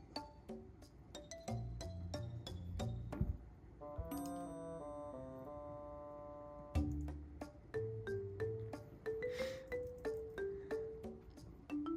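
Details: Bright mallet-percussion music plays, with plucked xylophone-like notes, sustained chimes and a bouncing melody, and no animal voice.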